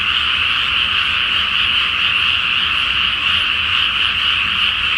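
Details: Massed frogs call from a flooded paddy at night before rice planting, full moon overhead; countless overlapping croaks merge into a continuous high, rattling drone with no pauses, slight low rumble underneath.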